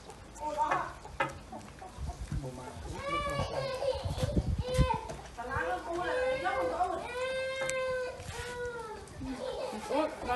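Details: Several kittens fed fish with rice mewing almost without pause, with drawn-out, slightly falling cries overlapping each other, plus low thumps and handling noise underneath.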